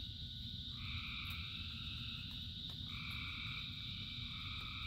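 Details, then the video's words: In steady rain, frogs give two sustained buzzy croaks lasting around two seconds each, one after another, over a persistent high-pitched hiss and low rumble. "Frogs in Rain 2 Hours of Frogs, Thousands of Frogs Singing"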